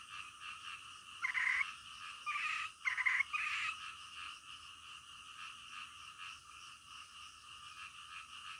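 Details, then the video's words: Midnight frog chorus: a low continuous buzz, then a short burst of loud, rapid, grating croaks in quick succession before it settles back into the quieter drone. "SUARA KODOK DITENGAH MALAM"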